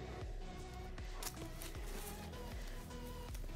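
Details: Background music with a steady beat and low bass notes, with no animal calls.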